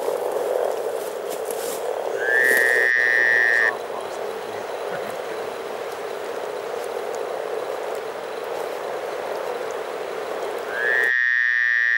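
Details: Over 300 frogs in spring at Teisko, Pirkanmaa, Finland, form a dense, steady bubbling chorus in the low-middle range. Two long, level high tones break through, one near the start and one at the end.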